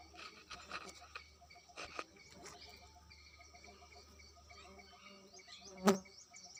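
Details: Bumblebees from a hive built inside an ant hill drone with a steady, low, humming buzz, broken by a few soft knocks and one sharp tap.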